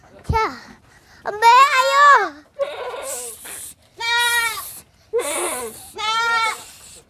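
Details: Small kid goat, playful and difficult to catch, giving a run of short trembling bleats, several in quick succession, with a child speaking between calls.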